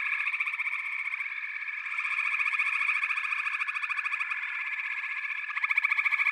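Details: Frog chorus, many callers at once: rapid pulsing trills stacked in bright bands, a continuous wall of sound that rises briefly near the end.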